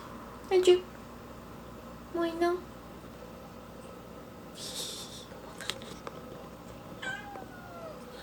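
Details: Indoor kitten giving two short meows, about two seconds apart, while wanting to climb onto the fridge; a person speaks quietly and there are faint household knocks.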